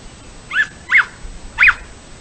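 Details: In Colorado, a male bobcat gives three short, high, arched yelps, calling out to a female bobcat.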